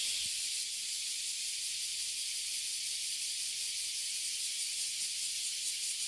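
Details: Oily cicadas and bear cicadas filling a tree in Toyohashi City, Japan, producing an ear-damaging chorus: a steady, unbroken high hissing buzz that holds at the same loudness throughout, with no other clear sounds.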